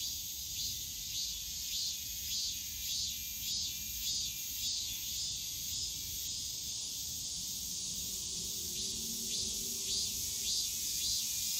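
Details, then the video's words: Cicadas calling on a summer day in the bamboo grove of Yongsan Family Park, a dense high buzzing chorus with rhythmic pulses about twice a second, a faint low hum of voices near the end. "용산가족공원 대나무숲 매미소리"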